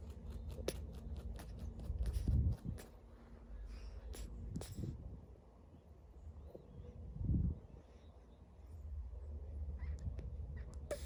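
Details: Sleeping monkey, said to be a baby, snores in low, breathy rasps at uneven intervals, about three strong ones spread over eleven seconds, above a constant low background rumble with scattered light clicks.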